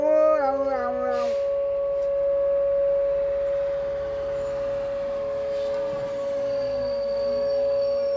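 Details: Wolf on a snowy morning, living out on the deck, giving a brief falling, harmonic howl in the first second or so, then only a steady ringing tone continues underneath to the end.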